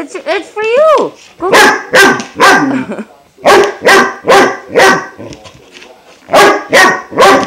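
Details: Klaus, a 5-month-old German Shepherd puppy, barks at his new water buffalo horn treat: sharp broadband barks in uneven bursts, plus a few rising whines, while a woman coaxes him to eat it.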